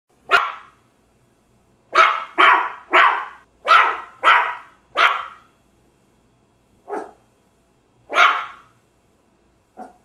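A small dog barks repeatedly, each bark short, sharp and fairly high-pitched. The barks come in an irregular run of quick bursts, then a few spaced single yaps against an otherwise quiet background.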